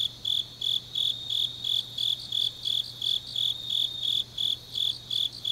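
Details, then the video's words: In Changnyeong, Gyeongnam, grass insects call through a deep autumn night: high, metallic chirps pulsing almost three times each second in a steady rhythm, with only a soft low hum underneath. "깊은밤 가을 풀벌레 소리"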